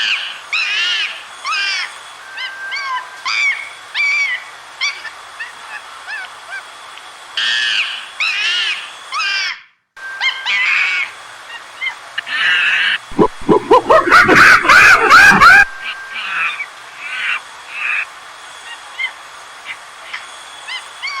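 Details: Monkey calling while playing in the wild bush: short, arched squeals repeated in loose clusters over a steady background hiss, with a run of sharp clattering knocks near the middle.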